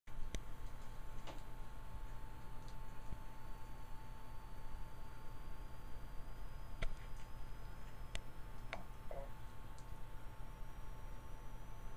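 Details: Faint ticking clicks over a steady electrical hum in a quiet small room; no animal voice stands out.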